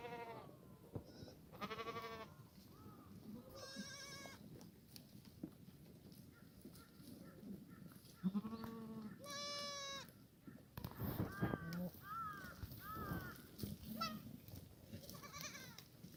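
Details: Korean black goats on a farm in Gimhae, South Korea, on a sunny Sunday morning during a late-March cold snap that froze the water trough, bleat repeatedly. The calls are wavering and nasal, spread across the recording, with farmyard background noise.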